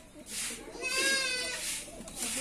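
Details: Goat being hand-milked village-style gives one wavering, harmonic bleat near the middle, set against a steady rhythmic hiss of milk squirts pulsing throughout.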